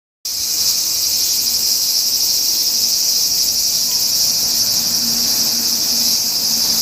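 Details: Cicadas calling on a summer day, 4 August 2017, heard but not seen: a dense, continuous shrill buzzing drone, high-pitched and unbroken with a faint pulsing shimmer throughout.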